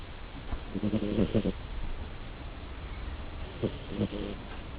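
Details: Snoring from a sleeping pet cat: a longer raspy, pulsed exhalation followed after a pause by a second shorter rattling snore, over steady low room noise.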